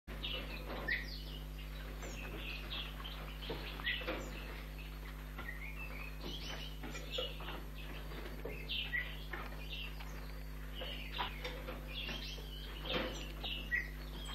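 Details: Young European red squirrel, a few weeks old, being hand-fed at a wildlife rescue station after it was found lying on a street in August; rapid high squeaky chirps in irregular bursts throughout, over a steady low electrical hum.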